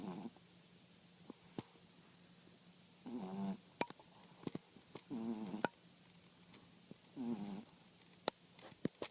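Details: French Bulldog snoring indoors: three loud, rasping breaths with wavering harmonic overtones about two seconds apart, plus scattered sharp clicks and a steady low hum.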